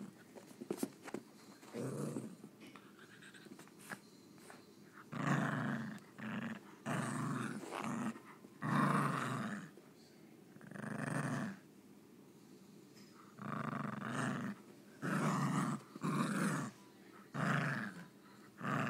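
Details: Maltese named Mocha, a male born with an under-bite, growling while playing: low rumbling growls in bursts of one to two seconds separated by short pauses, with brief breathy snorts between them.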